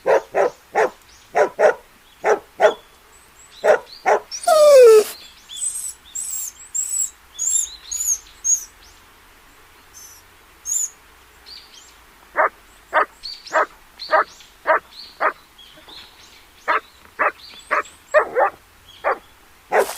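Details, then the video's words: Puppy playing outdoors on green grass in a field: short, sharp barks in quick runs for about five seconds, a pause filled with high bird chirps, then rapid barking resumes in bursts to the end. "Dog Barking Sounds - Dog sound"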